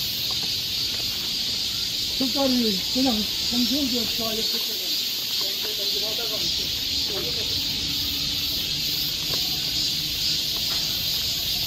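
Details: Cicadas droning on a summer forest trail in Seoul, Korea: a steady high electric buzz runs throughout while a human voice speaks briefly in the middle, then fades, leaving the unbroken chorus.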